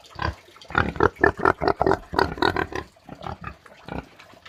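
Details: Farm pig producing a quick run of rough oinks and grunts, clustered closely in the middle, then tapering to softer, scattered grunts.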